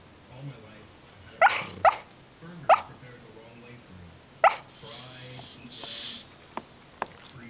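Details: A sleeping corgi, seemingly dreaming, gives a few short, muffled yips in quick pairs, with faint television voices behind.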